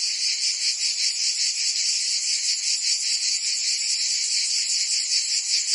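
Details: Summer cicada chorus in Provence, France: an unbroken, hissing high-pitched drone that throbs rhythmically about two and a half times per second throughout.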